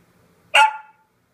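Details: Seven-month-old Pembroke Welsh Corgi named Mr. Tucker giving a single short, sharp bark with a bright harmonic burst that fades within half a second, surrounded by quiet.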